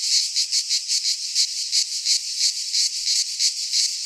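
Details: Cicadas heard in a pine forest in Greece during midsummer: a bright, piercing buzz beating in rapid, even pulses, a constant wall of insect sound.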